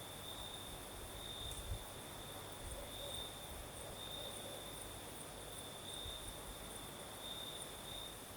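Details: Crickets singing at night in the south of Crimea, with a night breeze: a steady high chirring trill that swells into brighter bursts every second or so, a fainter higher shimmer above it, and a soft wash of wind throughout.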